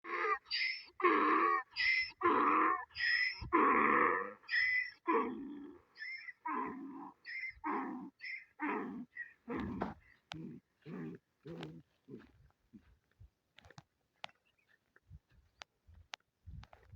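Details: A donkey at a mound brays in loud, harsh hee-haw bursts that shorten and fade into wheezing gasps.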